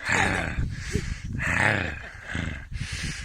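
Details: Young Kangal dogs, kept with a Haymana black dog, growl angrily: a rough, low, rumbling growl swelling in three long surges with noisy, gravelly texture, over about three seconds.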